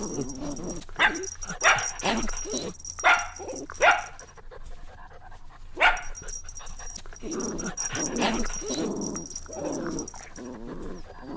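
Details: Puppies having fun outdoors, with clusters of sharp high yaps mixed with drawn-out whiny moans. A faint steady high tone runs underneath.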